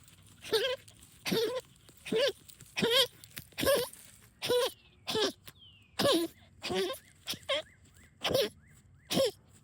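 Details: Goose-like honking from a female dog hunting moles in backyard trenches: a dozen rough nasal honks, each a short rising-then-falling squawk, coming about every 0.7 seconds with small pauses, outdoors with little else audible.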